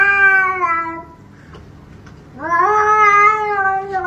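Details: Two drawn-out meows from a house cat in a compilation of cats behaving badly: the first slides downward and stops, then after a short quiet gap a second one rises sharply and holds, loud and nasal.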